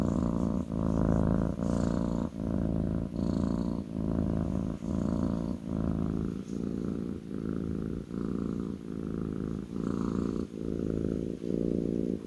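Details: Kitten purring while resting on a lap indoors: a steady low rumbling purr in rhythmic pulses, each breath-cycle about a second long, with faint soft rustles above.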